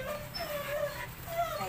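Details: Belgian Malinois at shower time, giving a faint, thin, wavering whine that rises and falls in short, soft strands over steady background hiss.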